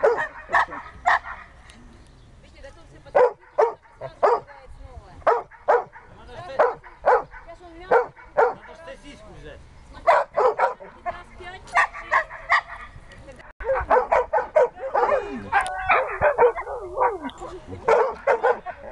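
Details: Dexter, a Siberian Husky in search and rescue training, barks repeatedly in quick clusters, some barks with a rising yelp quality; human speech mixes in, busier toward the end.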